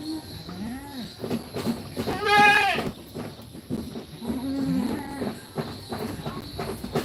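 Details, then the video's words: Young goats in a pen at feeding time: a few soft bent bleats, then one loud harsh quavering bleat in the middle, over steady background noise and some voices. "Cute Goat Kids, Funny Goat Kids Sounds"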